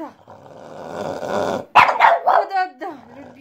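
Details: Female French Bulldog at home barking to a toy pipe: a steady reedy pipe note, then a burst of three quick hoarse barks ending in a low, sagging whine.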